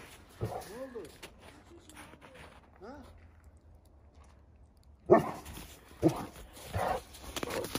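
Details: Cane Corso dog, one of the pair named Narkoz and Coco shown at work, gives short high arching whines or yelps in two bursts early on, followed by a man speaking Turkish and rustling handling noises.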